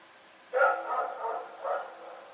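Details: At night, the dog Rex gives a sharp, loud bark that trails into a rough, drawn-out rasp, then a second, softer bark a second later. A thin high tone pulses faintly in the background.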